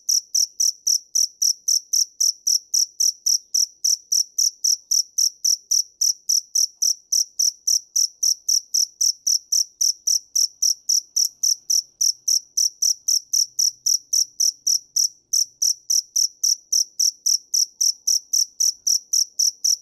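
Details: Long unbroken cricket chirping: bright, piercing pulses at a rate close to four per second, holding an even beat throughout against quiet surroundings.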